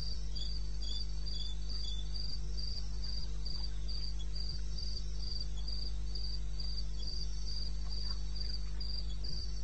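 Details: Cricket at 2:30 AM on 21 May 2016 in the eastern Botswana wilderness, giving bright high chirps at a steady pace of about three per second, a faint second caller beneath, a low hum throughout and occasional soft taps.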